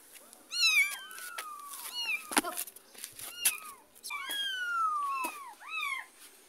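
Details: Domestic cat, a mother cat following as her kitten is carried to a neighbour's house, giving about eight harmonic meows that rise then fall. Some overlap, amid sharp clicks and a faint steady high whine.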